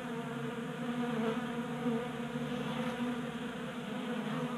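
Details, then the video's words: Honey bees burning winter stores during a warm January in Colorado, feeding at a 3D printed tabletop feeder in a garage; thick, unbroken buzzing with wavering pitch as individual bees drift nearer and away. "45 Minutes of Honey Bees Feasting from 3D Printed Bee Feeder ASMR"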